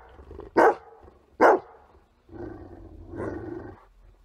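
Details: Rottweiler being greedy with a toy, giving two sharp loud barks followed by two longer, lower grumbling growl-like vocalizations; faint music and a person calling the dog in the background.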